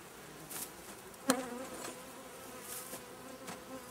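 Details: Honey bees during a swarm inspection, dusted with powdered sugar as protection against varroa mites: a steady, low buzzing hum with faint harmonics throughout, broken by a sharp click near the middle and a few soft knocks and rustles.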